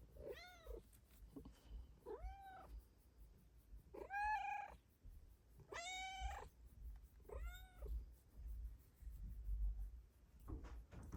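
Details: Morning meows from a Bengal cat indoors: five clear, arched meows spaced roughly every one and a half to two seconds, each rising then falling, over a steady low hum.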